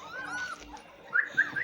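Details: Drahthaar puppies, about one month old, at feeding time: a drawn-out wavering whine followed by three short, high, squeaky yelps.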